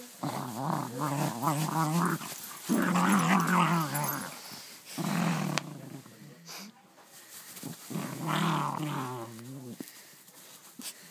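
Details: Dog delighted with its new toy grumbles and growls in strange warbling bursts, sounding like a gremlin; three main bouts separated by brief pauses, with a rustle midway.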